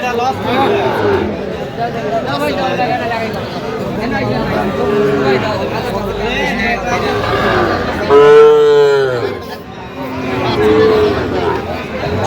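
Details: Sahiwal bull calves at Aftabganj cattle market on 29 November 2025, being sold to a Dhaka farmer; one calf gives a loud, drawn-out moo of about a second near the end, then a shorter low call, over steady crowd chatter and haggling voices.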